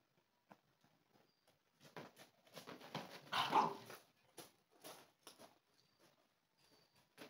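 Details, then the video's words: Dogo Argentino puppies, a three-month-old female and an eight-month-old male, indoors; a cluster of short, sharp broadband barks builds to a loudest burst near the middle, then trails off into a few scattered softer yaps and small clicks. "Cachorra Dogo Argentino"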